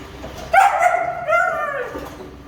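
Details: Female German Shepherd puppy of show quality from a KCI-registered Indian litter, sired by the Serbian import Leader vom Radhaus: two drawn-out, tonal whining cries, the first high and steady, the second slightly lower and sliding downward, over faint background hiss.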